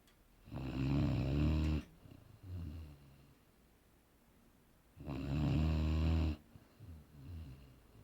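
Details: Sleeping Boerboel Aaron snores in two long, harsh, deep rumbles about four seconds apart, each trailed by a gentler fluttering exhale.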